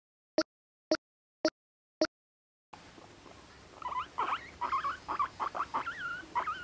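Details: Pet guinea pig Moru-chan, a year and a half old, kept in an apartment and said to squeak kyun-kyun and honyo-honyo, going pui-pui when angry. Four sharp clicks open, then a run of short squeaky rising and falling chirps.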